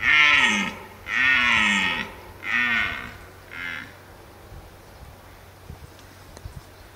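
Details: Red deer (Cervus elaphus) bellowing in Parco Nazionale d'Abruzzo, Lazio e Molise, Italy: four deep, rough, harmonic roars in quick succession, each shorter and fainter than the one before, then a quiet background.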